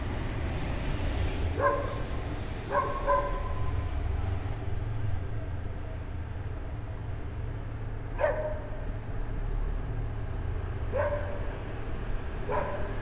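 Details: A dog barking at nothing on a weekend morning around 8 AM, giving short barks singly and in pairs at irregular gaps over a steady low vehicle-like rumble.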